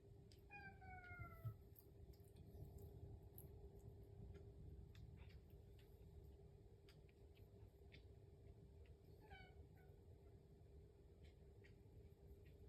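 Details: House cat kept indoors, impatient for breakfast and purring continuously; one clear falling meow opens, a steady low rumble fills the middle, and a brief second meow follows near the end.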